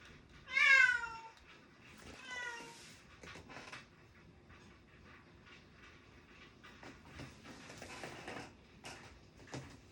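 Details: Pet cat meowing indoors while someone studies: one loud harmonic-rich meow followed by a softer second cry about two seconds later, then quiet room sounds with light tapping and rustling.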